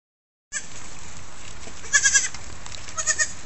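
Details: Thirsty lambs drink milk from a goat; two short, quavering, high bleats come about a second apart, each broken into quick stuttering pulses, over a steady background hiss.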